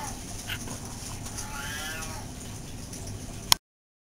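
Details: Pet cat meowing while its owner talks to it, one drawn-out rising then falling meow in the middle, over a steady background hum with a sharp click near the end.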